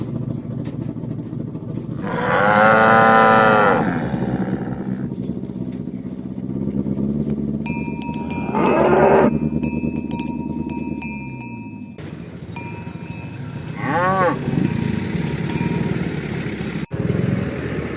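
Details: Tame cows herded in the morning toward the pen on village roads; three separate moos spaced several seconds apart, the first long and wavering, the others shorter, over a constant low engine-like rumble and faint clinking.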